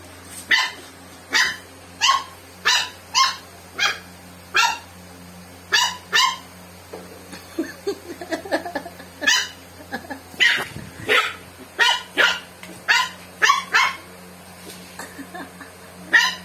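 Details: Pet dog named Joey, who has swimmer syndrome, reacting to Coke: sharp, high barks repeated roughly every half second to second, with a brief pause and softer sounds midway, then a renewed steady run of barks indoors.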